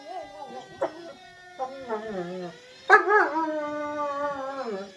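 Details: Family German Shepherd howling in response to a passing fire truck siren; wavering drawn-out howls with rising and falling pitch, a steady siren tone running underneath throughout.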